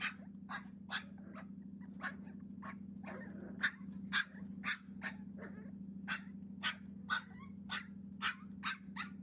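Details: Forty-two-day-old Cavalier King Charles Spaniel puppy demanding release, 30 June 2021, indoors; short piercing yips spaced roughly every half second, a few longer whimpers in between, constant electrical hum beneath.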